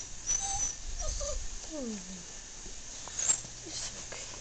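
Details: Eight-week-old Doberman puppy Juno, homesick, whimpering at her reflection as if it were her sister; a few short rising and falling whines, one longer descending whine near the middle, over quiet indoor background hiss.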